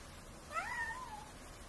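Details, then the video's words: A cat meows once: a clear harmonic call that rises sharply, then slides slowly downward and fades over about a second, against a quiet indoor background. "The cat meowing, meow and hissing"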